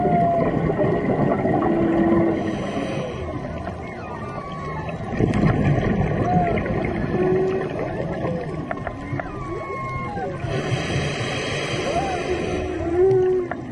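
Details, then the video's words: Humpback whales singing during a March dive off Maui, heard close underwater: moaning tonal units sliding and curving between low and mid pitch, repeated at irregular intervals, over steady bubbling and hissing water noise with a constant hum. "Diving in Maui (Serenaded by Humpback Whales)"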